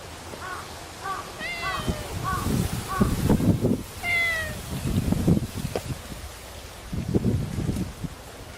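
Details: Male grey tabby-and-white cat on Enoshima island, Japan, filmed 7 October 2009 before Typhoon 18 made landfall, giving a run of short high meows, several rising in pitch, then a clearer meow near four seconds, over rumbling wind-like noise.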